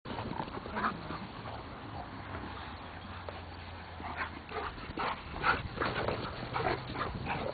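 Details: Alaskan Malamutes at play in 2003 make short, rough woofs and grumbling sounds in uneven bursts.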